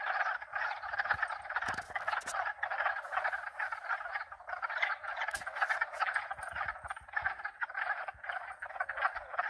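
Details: Frogs of at least two species in a continuous croaking chorus, thick rapid trills overlapping, interrupted by a few sharp bright clinks like wind chimes.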